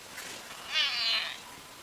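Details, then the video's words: A domestic cat utters a single strained, high-pitched meow lasting about half a second, with faint room noise and a soft earlier sound. "WEIRD CAT NOISES"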